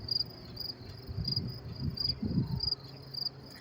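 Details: Crickets chirp in short, high pulses about twice a second at Willets Point train station, New York City, around 10:30 p.m. on 28 May 2024, in cool weather, while a person talks.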